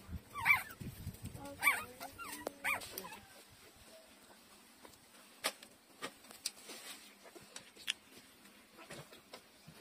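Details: Newborn puppies, three days old, nursing from their mother: several high, wavering squeaky whimpers in the first three seconds, then quieter scattered clicking and smacking sounds while they feed.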